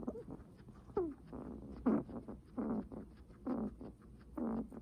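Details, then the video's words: Guinea pig breathing heavily: breathy, wheezing bursts with short squeaky tones, roughly one each second, some louder and longer than others, over a quiet background. "Guinea pig heavy breathing sounds"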